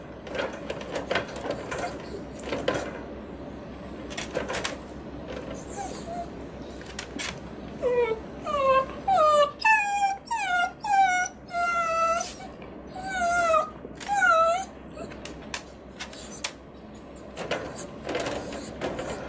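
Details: Miniature Dachshund shut in its cage and wanting to be let out. After a few seconds of rustling and bumping, it breaks into a run of high, quavering whines and yelps that rise then fall, about one per second, before fading back into shuffling noises.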